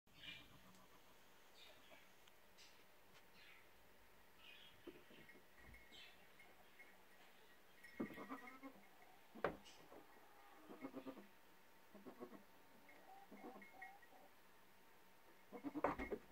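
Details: Goats, a doe and a buck, hopping, leaping on two legs and dancing together during mating in what looks like a fight but is not; faint scattered bleats and short harmonic calls, clustered in the second half, over quiet background.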